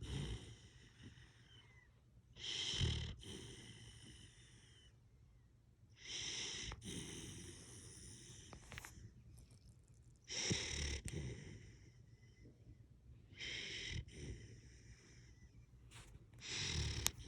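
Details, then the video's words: Sleeping Siberian Husky puppy snoring softly: four rough breath bursts, one every three to four seconds, each with hissy high overtones and low rumble, quiet breathing between them. "Baby Husky can snore?!?!?!?!"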